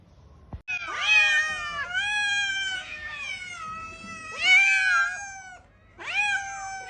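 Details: House cat uttering long, plaintive meows, each sliding up and then down, four calls spread over seven seconds in a quiet room.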